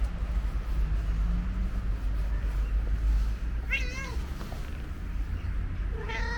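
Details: Orange and white stray cat at a bus station meowing twice, each call a clear, wavering, slightly falling cry a couple of seconds apart, against constant low traffic rumble.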